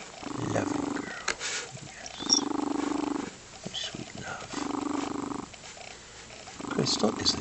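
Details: A contented female Lynx Point Siamese cat purrs in deep, rumbling bursts with soft cooing, while a person talks gently to her nearby.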